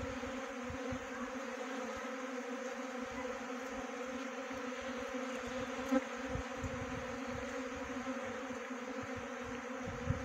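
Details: Many honey bees buzzing together during swarm trapping, a smooth unbroken drone with several tones. Two short louder taps stand out, over a light low rumble.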